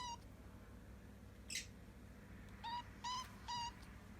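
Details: Hungry kitten, one of a litter found abandoned at the end of September, begging for food with a funny sound: three short, clipped mews in quick succession after a brief scuffling noise, in a quiet room.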